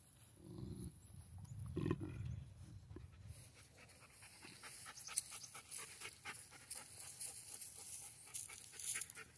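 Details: Alabai, a Central Asian Shepherd dog, panting softly in quick breathy puffs, about three per second, with a low rumbling sound during the first three seconds.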